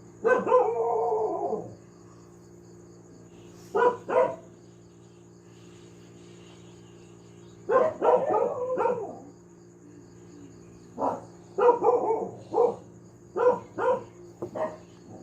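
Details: Domestic dog barking persistently: a long harsh bark, a short one, then clusters of two to four rapid barks separated by quiet gaps, over steady background hum.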